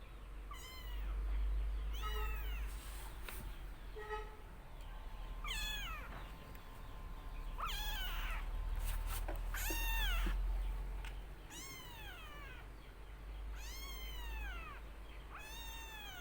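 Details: Young black kitten, a pet, gives a run of high, rising-then-falling meows, some drawn out and some short, spaced irregularly through the clip over a low background rumble.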